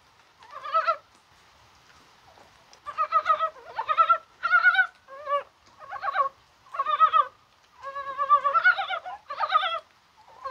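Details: Korean mountain frogs calling on a mild, spring-like January 21 in the rain, possibly while spawning; short bursts of rapid, stacked clucking pulses, about ten over ten seconds, some overlapping as several frogs call together against a quiet background.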